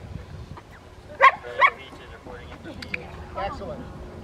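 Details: Two loud, quick barks less than half a second apart from a Rottweiler during distraction training at the Victoria Rottweiler Club on May 2, 2021, followed by human voices.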